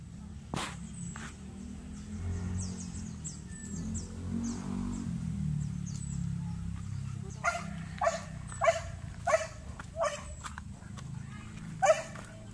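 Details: Belgian Malinois training for urban search and rescue on rubble with aggressive indications, barking about seven times in an irregular series over the last five seconds, above a steady low rumble and faint background sounds.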